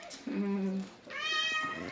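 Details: House cat giving one clear, sustained, steady-pitched meow in the second half, preceded by a low human voice in a small indoor room.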